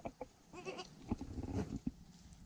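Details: Newborn goat kid, the first of the year, giving short bleats: a few brief wavering low cries in quick succession over about two seconds, with soft background handling noise.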